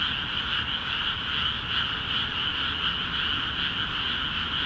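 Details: Continuous frog chorus from water-filled paddies in Akiha Ward, many animals calling at once; shimmering, pulsing trills overlap without pause and swell slightly every second or so.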